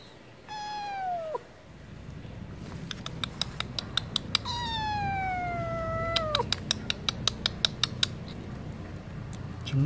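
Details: Wanting food, a stray cat given wet food lets out two long, plaintive meows, each falling steadily in pitch. Sharp clicking taps are scattered between and after the cries.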